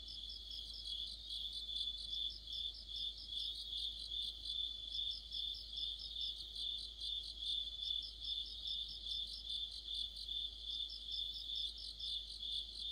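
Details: Crickets and companion insects singing together in deep autumn, a steady high ringing tone overlaid by bursts of fast pulsed chirping that swell and fade every few seconds in an unbroken nighttime-style insect chorus.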